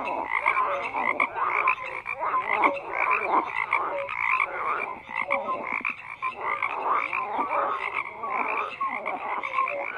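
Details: A frog chorus with continuous overlapping croaks and rattling pulses, bursts swelling and fading every second or so, brief whistled notes woven in; nothing else audible beyond the frogs.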